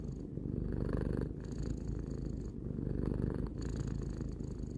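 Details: Tarou the cat, aged three, produces a soft continuous purr, low and rumbling, with gentle swells roughly every second or two as it breathes.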